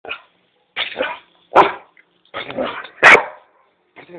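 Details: Dobermann barking while chasing a cat in Kiato: loud, rough barks in an uneven series of about six bursts, some doubled, with silent gaps between them.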